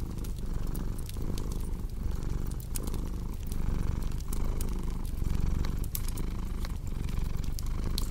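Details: Cat purring in a deep, vibrating hum that rises and dips about every 0.8 seconds, while a fireplace crackles and pops throughout.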